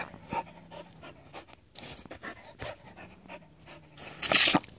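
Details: Seven-year-old Border Collie Adaike Polední kámen playing with water, panting in quick rhythmic breaths, with a loud splash of water near the end.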